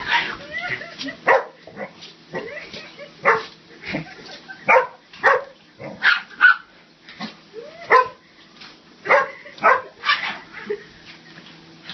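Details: Two female dogs playing, Eva a 7-month-old Labrador and Peaches a 4-year-old Rat Terrier, trade short sharp sneezes and snorts with yips, bursts recurring roughly every two seconds over faint background music.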